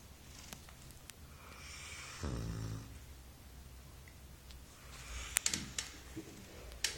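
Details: Sleeping Golden Retriever puppy Maggie, four months old, gives one rough, vibrating snore lasting under a second, then quieter breaths, with a few crisp taps and rustling noises near the end.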